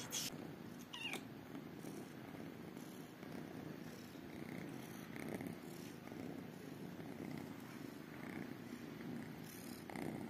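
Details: Tiny kittens, two calico and one tabby, purring while waiting for affection and food: a steady, low, rapidly pulsing rumble runs unbroken through the whole stretch, with a few faint higher clicks and rustles.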